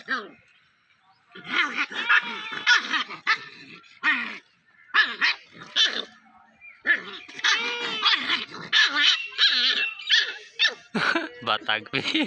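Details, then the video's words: Puppy at play, giving rapid bursts of high, harmonic yelps and whining squeals, some sliding up and down in pitch, clustered in short noisy runs with brief pauses between them. "Baby dog playing | Dog baby sound"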